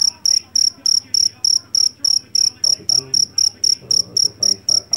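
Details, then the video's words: Jangkrik jeliteng, or Javanese field cricket, caught in a rice field and known for its loud voice: sharp, high chirps repeated about three and a half times per second in a steady pulse, over faint low background murmur. "SUARA JANGKRIK PENGUSIR TIKUS SUARA ASLI"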